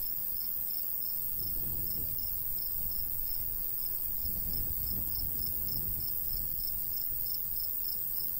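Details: Summer crickets in golden wheat-field countryside chirp in a rapid high series, about three pulses a second, while a light breeze swells and fades in the low range.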